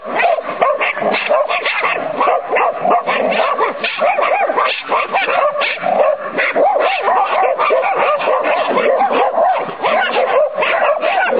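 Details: Sonny and Jerry, two Irish Terriers in training, bark and yip almost without pause for over eleven seconds, a busy, overlapping chorus of short, high-pitched yelps.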